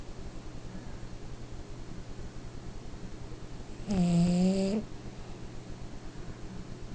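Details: A tired French Bulldog napping on a chair snores with a low, rattling rumble, broken once by a brief groaning whine.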